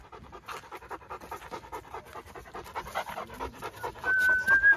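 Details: Great Dane panting during a training session: quick rhythmic breaths, about two and a half per second, uneven in spacing, with a clear sustained human whistle near the end.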